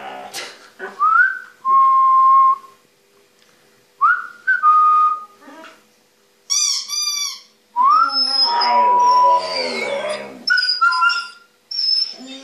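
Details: Husky-malamute mix dog and a young border-fox mix puppy howling together, called a music lesson; several rising, sustained tonal howls in separate bursts, mixed with higher thin yelps and short breaks of quiet.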